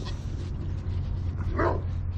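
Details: On a windy snow day at a goat ranch, a dog gives a short, sharp bark at a truck half a mile away, over a steady low rumble of wind.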